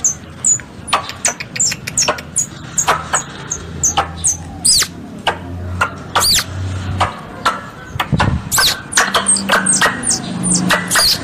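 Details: Hunting-lure squirrel sounds: dense high chirps and loud clicking bursts, some chirps sweeping and looping, growing busier toward the end over a low humming undertone.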